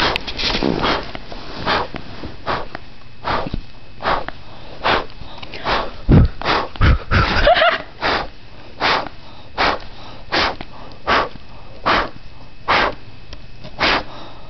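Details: Sleepy West Highland White Terrier puppy named Molly biting at air: short, sharp huffs or snaps repeating steadily about every 0.8 seconds, with a louder, rustling flurry of movement between six and eight seconds.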